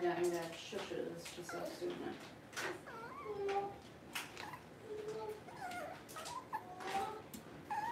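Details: Puppies in a litter, filmed during a livestream kept running through a power outage; high, wavering whimpers and squeals rise and fall in quick succession, overlapping one another, with soft background voices.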